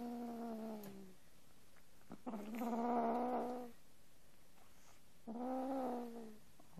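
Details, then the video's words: Angel and Arya, pet cats, make a strange noise while eating or being stroked that differs from growling: three drawn-out, steady, moaning tones of about a second each, gently falling in pitch at their ends, with quiet pauses between. "That Sound"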